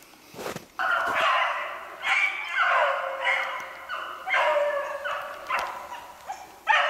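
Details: Pack of beagles trailing snowshoe hare, 8 March 2016. Long, wavering, harmonic howls rise and fall in several voices that overlap almost without pause, with a few sharp knocks.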